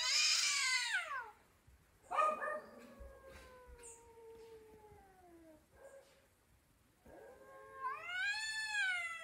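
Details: Cat talking in a series of long meows: a loud high falling cry, a drawn-out descending wail of several seconds, then a rising-falling call at the end, with quiet pauses between.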